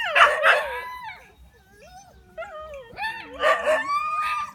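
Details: In a village, dogs bent on attacking together open with two rapid heavy barks, then slide into wavering whining howls before another burst of overlapping barks and yelps.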